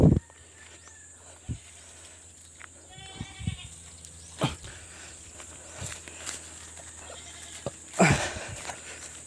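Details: Pregnant goats kept on a backyard farm in the Philippines; a short bleat with stacked harmonics rises around the third second amid soft rustling, clicks and scattered farmyard knocks.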